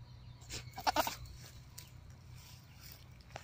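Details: Mating call of a goat, heard as one short, wavering nasal bleat of a few quick pulses, followed by clicks and soft background rustling.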